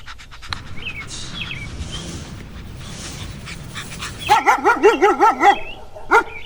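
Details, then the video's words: Puppy playing outdoors on green grass. Rustling ambient noise at first, then a quick run of about six wavering, whining yelps near the end, followed by one more short yelp. "Dog Barking Sounds - Dog sound"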